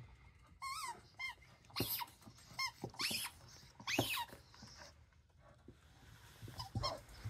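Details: Dosa the dog gives a run of short, high squeaky yips with bright ringing overtones, several quick notes close together, then louder noisy bursts and more thin squeaks with gaps between them.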